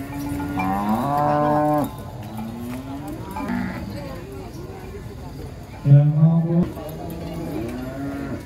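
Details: Huge cattle coming down from a truck to one pen in Indonesia give long, level moos, a rich low bellow near the start and another loud one near the end, with softer calls between and faint clanking and music underneath.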